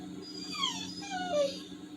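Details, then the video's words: Indoor Labrador Retriever, downcast at missing a walk due to rain, lets out a run of high whining whimpers sliding down in pitch, several overlapping descending cries over a constant low background hum. "TOBY THE TALKING LABRADOR/SOUNDS SAD"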